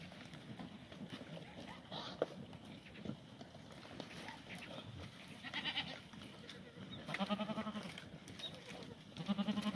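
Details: Korean black goats in a farm exercise yard in Gimhae, South Gyeongsang, during a late-March 2019 cold snap that froze the water trough. Quiet shuffling, then two low, quavering bleats toward the end.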